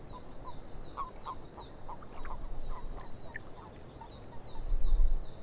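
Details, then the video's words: Swamp frogs give quick, uneven croaks that tumble along several per second over a constant hissing background. Faint high birdsong runs throughout, and a deep rumble of wind or handling swells near the end. "Frogs In The Swamp"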